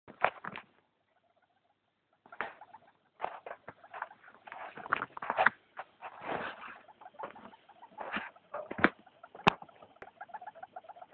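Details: A female pet hamster makes rapid clicking, chattering noises mixed with faint squeaks and rustling, unusual noises she has recently started making at night, worrying her owner.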